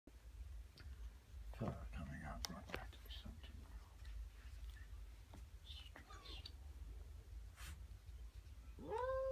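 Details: A stressed, grumpy Siamese cat meeting a new kitten and another Siamese cat gives short, tonal meows that rise and fall, with soft whispering and rustling around it.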